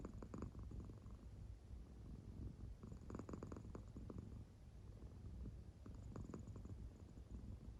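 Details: Claire, an American Shorthair cat, purring while fast asleep indoors, her belly rising and falling; soft, low, steady rumbling pulses with brief stronger bursts near the start, middle and end, otherwise quiet.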